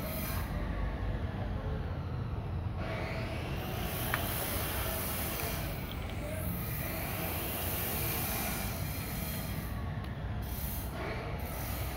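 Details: Continuous rumbling, hissing noise like a passing train fills the recording; no animal voice stands out.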